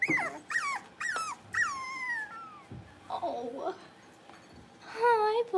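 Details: Blenheim Cavalier King Charles Spaniel puppies, a litter of five born on New Year's, playing in a home puppy pen: high arching whines and short yips in bursts, one long falling whine near the middle, a rougher low growl-like sound, then a sustained wavering whine.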